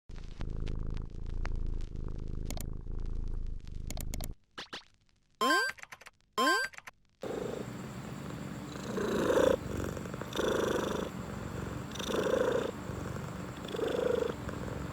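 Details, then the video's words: Domestic cat purring during relaxation, heard after some brief unrelated sounds and a quiet gap: a steady low rumble with rhythmic louder swells roughly every second. "1 Minute of Cat Purring | Relaxation"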